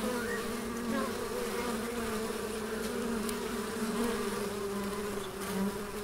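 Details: Bees in a garden in Elgin, Moray, Scotland, giving a continuous low droning buzz, layered hums of several insects drifting slightly up and down in pitch without pause.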